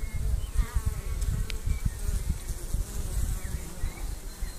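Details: Honey bees suffering from chronic bee paralysis: a low, droning buzz with a steady harmonic hum, broken by irregular low thumps and rumbles, and a few faint wavering tones higher up.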